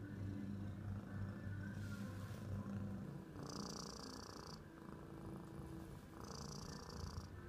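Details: Ginger tabby cat, a male taken in by a new carer in December, purring: a low continuous rumble throughout, with faint higher hissy bands coming and going in the background.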